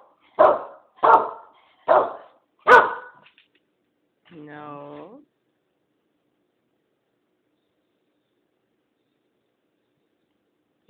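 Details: The Keeshond Blue reacts eagerly to a question about going outside, which she links with walks to the park. Four loud, evenly spaced barks come first, then a short, drawn-out whining sound, and after that a long silence in a small room.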